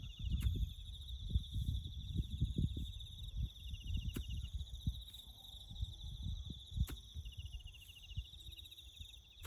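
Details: Crickets chirping in the bush during farm work and road building; a steady, high, finely pulsed trill runs unbroken throughout, with fainter higher bands above it, over low rumbling noise and sharp clicks.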